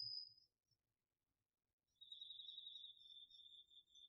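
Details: Crickets among other autumn insects singing at night in a garden field, captured on a DR-40X recorder: a short high trill fades into near silence, then a continuous, slightly lower trill starts and holds with faint higher chirps.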